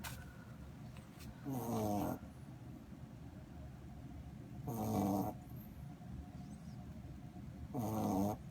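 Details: Corgi puppy asleep, snoring in a steady rhythm: three rough, buzzing snore breaths, roughly one every three seconds, with soft low rumble between them and no other sounds.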